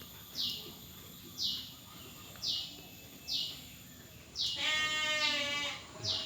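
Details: Farm sheep of PT Jatinom Indah Agri in Indonesia. A quavering bleat enters near the end after a run of sharp high chirps spaced about a second apart, which continue alongside.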